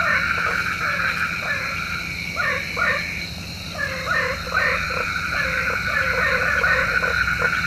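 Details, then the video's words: Frogs croaking at night, said to call rain; many short downward-bending croaks repeated rapidly and irregularly, often in quick runs, over a constant shrill background chorus. "SUARA KODOK KATAK | Panggil Hujan Obat Tidur Malam"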